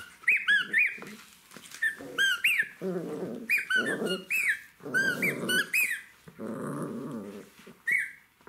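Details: A playful Jack Russell Terrier puppy with its toys growls in rough, buzzy bursts lasting up to a second, interspersed with sharp high-pitched squeaks that arc up and down, in what sounds like a small indoor room.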